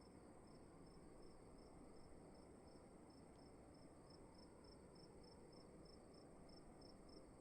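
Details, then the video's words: A cricket in a room chirps steadily, evenly spaced high pulses roughly three per second, the rhythm unbroken against a continuous low ambient hum. "Sound of emptiness and crickets in the room"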